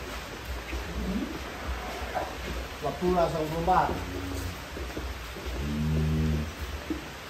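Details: Giant contest cattle, including one named Joker, being led out of the barn in Indonesia; a deep moo with stacked harmonics rises and wavers midway, then a second long low moo follows, over clapping, laughter and lively Indonesian chatter from handlers.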